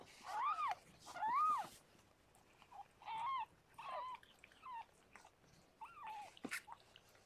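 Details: Rescued foster cat Harlequin giving birth to six kittens; two louder drawn-out mews open, followed by softer wavering squeaks at irregular gaps and a sharp click near the end.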